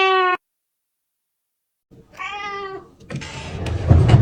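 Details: Kitten meowing, said to attract cats: one short bright meow, a pause, then a second rougher meow over a low rumble, ending in loud broadband knocking noise.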